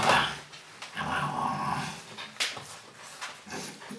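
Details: Golden Retriever puppies from a breeding kennel's litter in the Westerwald, indoors; rough, noisy growling and scuffling sounds with brief louder bursts, then a short human exclamation at the end.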